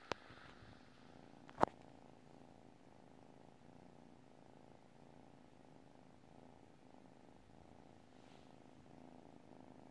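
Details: Sleeping domestic cat purring, a continuous soft rumble pulsing in slow even cycles of roughly one second, with a sharp click early on and a faint rustle later.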